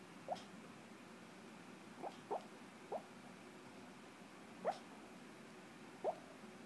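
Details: Chiquita the Chihuahua whimpers in her sleep while dreaming, making short, squeaky, rising yips spaced one to two seconds apart against faint indoor background hum.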